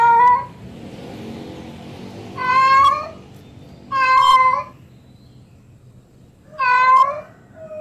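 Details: Female house cat in heat summoning a tomcat, producing three or four long, loud meows that rise then drop in pitch, separated by silent pauses of one to two seconds.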